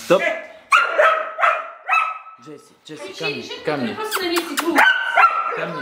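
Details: Female rough collie barking at a radio-controlled toy car; several loud barks at the start, then mixed whining, yelping sounds and scuffling noises, with a few more barks near the end.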